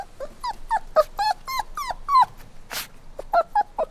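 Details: Puppy crying: a run of short high whimpers around one kilohertz, each dipping downward, in a quick uneven series, with a brief broadband noise burst near the middle and a few more whines after.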